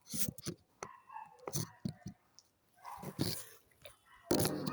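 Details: Dogs barking: short, sharp barks come in quick bursts through the first two seconds, then a louder cluster near three seconds and a harsh broadband burst at the end, with a person's voice faintly mixed in.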